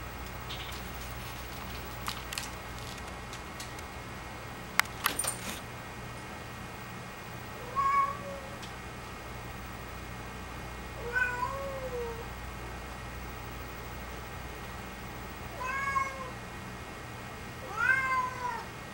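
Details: Penny, a cat, meows four times at uneven gaps of about three seconds. Each meow is short, with a rising then falling arc and clear harmonics. A few faint clicks sit in the steady low background hum between calls.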